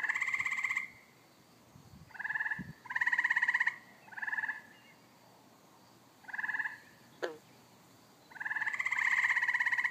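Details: Evening pond frogs: six rasping, pulsed croaks of varying length, the last one long and drawn out, with a brief sharp sweeping chirp midway and faint background noise.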